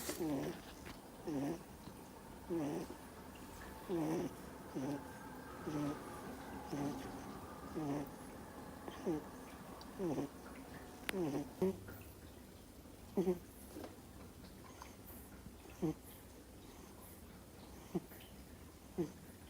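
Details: Two-month-old Miniature Schnauzer puppy fast asleep indoors, snoring in short nasal bursts with a falling then rising tone, roughly one every one to two seconds, steady through the first half and later becoming sparser and sharper.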